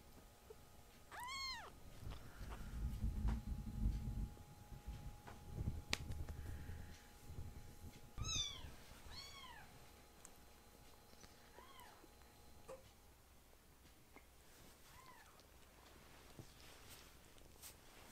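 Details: Foster kittens being noisy and rowdy, surprising the older brother cats: about six short arched meows scattered across the stretch, some in quick pairs, with bursts of low rustling and bumping from play.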